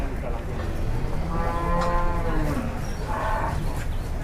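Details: Agitated, raging cattle in Indonesia, watched from above a cliff after one ran amok and nearly charged a person: a drawn-out harmonic moo in the middle, with a shorter lowing near the end over steady rumbling background noise.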